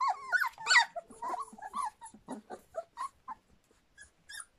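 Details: Litter of Standard Poodle pups just over three weeks old making a run of squeaky whimpers and yelps, loudest at the start, then fading into short, irregular peeps in a small room.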